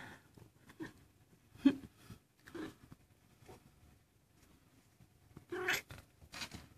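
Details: Maine Coon kitten, 19 days old, among a litter of young kittens; several short, high mews scattered through the clip, separated by quiet gaps, with soft rustling and handling sounds around them.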